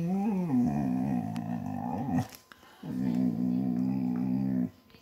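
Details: Basset hound vocalizing while its ear is scratched: two drawn-out, low, harmonic growling groans, each about two seconds long. The first opens with a wavering pitch, and a brief quiet gap separates the two.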